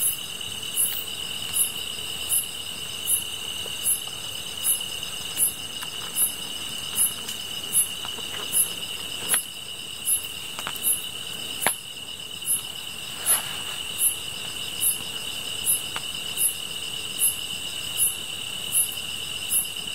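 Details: Chorus of grass insects by a campfire: a continuous high-pitched ringing drone under sharp, regular chirps about three per two seconds, with scattered crackles and snaps from the fire.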